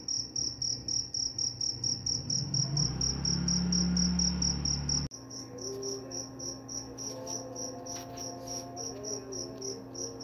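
A cricket gives a high, shrill chirping in fast, even pulses that repeat several times a second.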